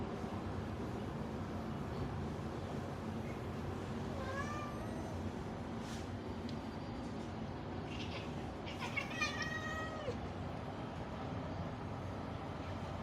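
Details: A black cat watching birds gives a few short, rising meows. Some are spaced apart, others come as a quick cluster of chirpy cries, over a steady low rumbling background hum.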